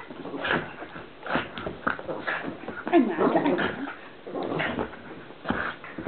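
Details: Pug named Columbo at play, producing his odd funny noise: irregular snorts and whimper-like grunts in short bursts a second or so apart, some louder strained squeaks mid-clip, indoors.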